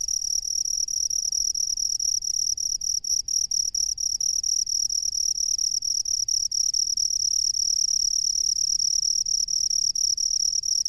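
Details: In a rice paddy, a cricket produces a steady piercing high trill, with a burst of quick stuttering pulses around the middle before settling back into an unbroken ring.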